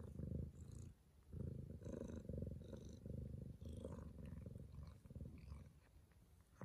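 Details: Purring from Neyteri, a Bengal cat in labour, delivering her first kitten at 6:30 am at home; a loud low purr in rhythmic bursts of about a second with short pauses, light rustling and small sounds above.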